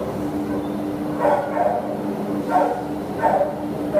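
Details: Terrier up for adoption at an animal shelter gives three short, hoarse barks about a second apart over a steady low mechanical hum.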